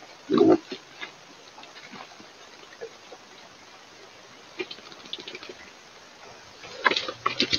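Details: A wild boar in the evening, among several boars mud-bathing, gives a short, deep, rough grunt, followed by quieter snuffling and rustling.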